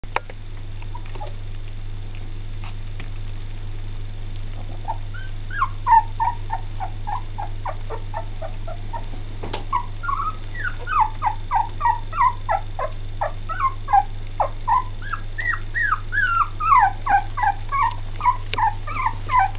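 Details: Two-week-old Jack Russell x Yorkshire Terrier cross puppies squeak and whimper in thin, rapid, overlapping cries over a low electrical hum.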